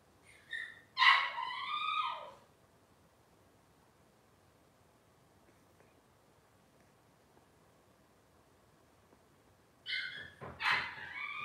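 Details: Robin's Cavalier King Charles Spaniel puppies indoors: a rising-then-falling whimpering squeal at the start, long silence, then a pair of sharp high yips near the end.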